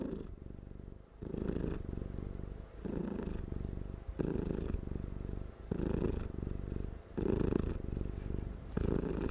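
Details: Dozing domestic cat purring very loudly without stopping; deep, rumbling purr in steady pulses, each swell lasting about a second and returning roughly every one and a half seconds, with quiet dips between.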